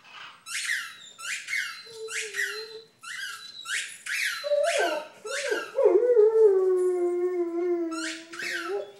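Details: Buddy, a six-year-old male Vizsla adopted in September 2012, howls after being given large squeaky tennis balls. Rapid bursts of squeaking open the recording, then a long, wavering, mid-pitched howl with rich overtones rises and holds to the end.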